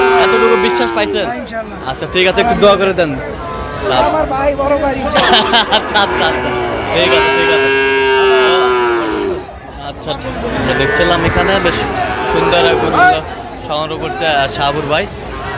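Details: Sahiwal bull calves for sale at a Cumilla, Bangladesh cattle market on 13 November 2025. Long, wavering lowing moos come in bursts, partly masked by constant male chatter from traders and buyers.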